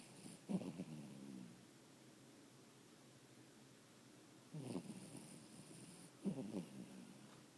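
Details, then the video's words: Max, a tired dog, asleep and snoring: three rough, low snorts at about half a second, just under five seconds and just over six seconds, separated by quiet breathing in an otherwise still room. "My dog Max snoring"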